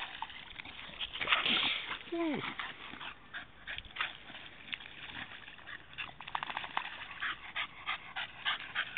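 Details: Goja, a female Staffordshire Bull Terrier, cools herself in a puddle on a very hot day; quick rhythmic breathy panting, over three per second, with splashing water and a brief human voice near the start.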